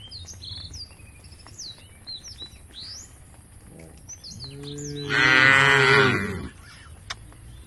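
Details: A herd of tame cows heading to a field by the forest edge; after quiet chirping birds, one cow gives a low moo that swells into a loud, full, bellowing call lasting about two seconds, then fades.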